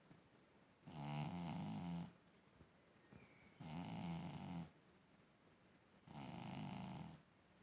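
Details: Niti the cat snoring very loudly indoors: three long, rasping, low breaths about a second each, spaced a couple of seconds apart, with a buzzy harmonic rattle and quiet pauses between.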